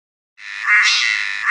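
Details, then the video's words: A cicada in a tropical forest in Southeast Asia starts a loud, steady buzzing drone abruptly after a brief silence. "Cicada singing"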